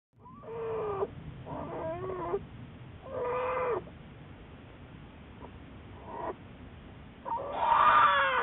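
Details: Juliet, a wild American black bear studied at the Wildlife Research Institute, recorded March 1, 2014: a string of whining, wavering tonal cries with bending pitch, several short bursts separated by quiet gaps, over a steady low background hum.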